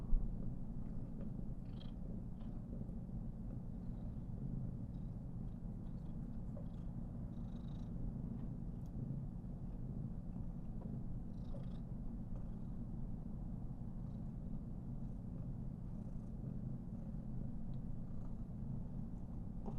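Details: Somali cat, a female at 419 days, purring contentedly as she is stroked; an even, deep vibrating drone throughout, one brief bump near the start and light handling noises scattered over it.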